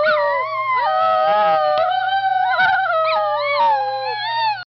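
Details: A Schnauzer holds one sustained, wavering howl for over four seconds, its pitch gently rising and falling before cutting off, with a constant low electrical hum beneath.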